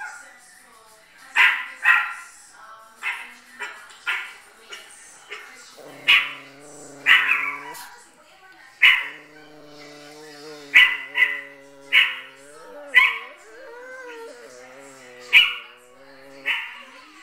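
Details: Chihuahuas indoors reacting while watching their own recording: sharp high barks and yips in irregular bursts, about a dozen over the stretch, with a harmonic tonal sound and faint talk underneath.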